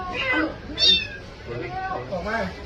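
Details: Domestic kitten rescued by navy sailors after being trapped inside a wall, giving short high meows, one sharp cry near the start, over soft background music and faint voices.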